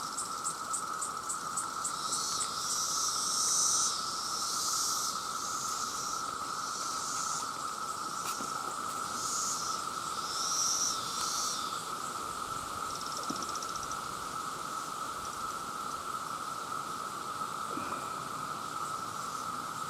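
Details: Male cicadas by the millions calling for mates, a constant loud droning hum held at one pitch, with bursts of higher hissing and short bright whistled notes drifting in and out above it.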